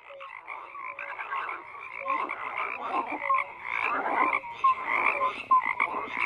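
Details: Many frogs croaking together in a dense chorus, overlapping calls around mid and high pitch with short tonal notes mixed in, pulsing irregularly about once a second, no other sounds.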